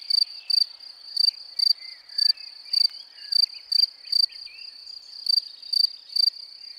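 A field cricket chirps in short, bright trilled bursts, about two each second, with faint twittering behind.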